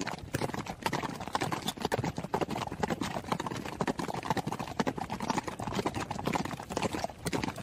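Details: A running horse makes fast, clattering hoofbeats in a busy, uneven rhythm of sharp knocks, about two strong beats each second, continuing without pause.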